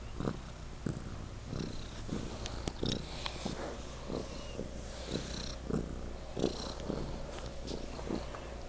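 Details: A pet kitty named Legend purring particularly loudly: a steady low rumble with soft rhythmic pulses recurring roughly every half second to second, plus faint brief clicks and rustles.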